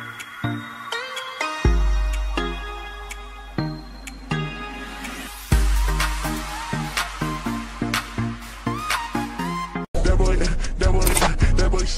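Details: Electronic dance music with a steady pounding beat, deep bass and layered synth tones, ending in a dense, bright burst of sound; no animal voices are heard.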